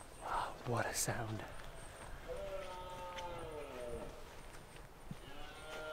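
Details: A brief human voice opens, then a red deer stag in the Scottish Highlands roars during the autumn rut. The call is a drawn-out, harmonic bellow that dips at its end, and a second roar begins just before the close.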